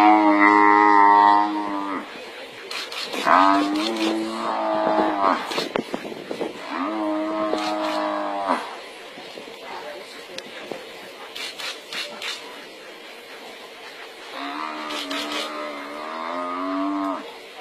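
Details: As a pride of lions attacks an injured African buffalo, deep, drawn-out bellows of about two seconds each come in a loose series, wavering slightly in pitch, with clicks and rustling between calls.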